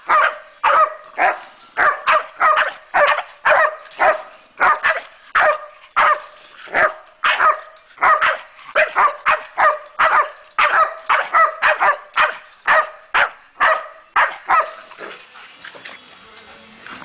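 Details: Staffordshire bull terrier Zena, aged 13 months, gives rapid, insistent barking, short sharp barks about two per second in irregular clusters, falling silent near the end with only faint background hiss remaining.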